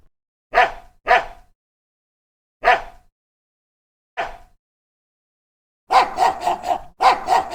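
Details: Dog barking: four single sharp barks spaced over about five seconds, then a rapid burst of five or six barks in quick succession near the end, with silence between calls.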